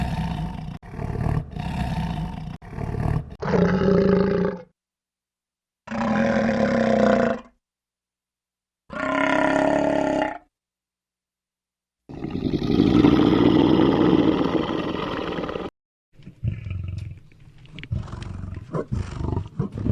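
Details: Lion roars and growls from the African savannah, heard as a series of separate deep, harmonic bursts of a few seconds each, cut apart by short silences, with a long rough roar near the end followed by quieter rumbling.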